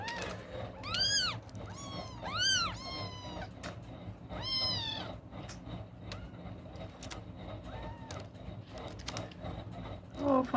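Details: Newborn kittens, eyes closed, crying while one searches for its mother's teat: loud arched high mews in quick clusters of two or three, then quieter calls, with soft music and a person speaking gently.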